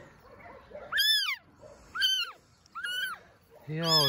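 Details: Abandoned baby kitten, rain-soaked and found in grass next to a shelter, calls three times with bright, arched meows. A woman speaks softly around the calls, and her voice overlaps a final drawn-out cry.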